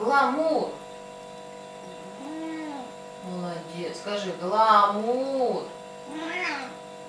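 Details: Domestic cat 'talking': a series of five varied, wavering meow-like calls, some short and some drawn out and bending in pitch, spread over about seven seconds against a steady hum.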